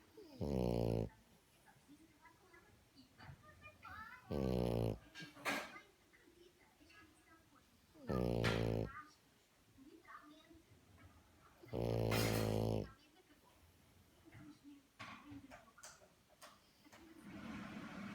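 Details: Lydia, a female French Bulldog, snores loudly, each rough, rattling breath about four seconds apart.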